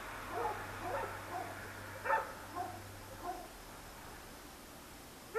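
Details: Dogs barking at night, one of many dogs heard alongside traffic, captured on a Sony DSC-H200 camera; distant, faint single and paired barks scattered irregularly over a steady low hum, with a louder bark at the very end.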